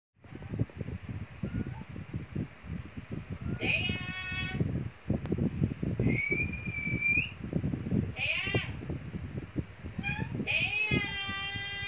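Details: A cat gives several drawn-out, harmonic meows spaced a few seconds apart, some rising then falling, over a steady low rumble and a thin whistled tone in the middle.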